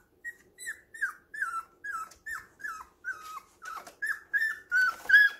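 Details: Indoors at home, baby puppies playing rough give a steady series of high, falling whines, roughly two per second, growing louder toward the end.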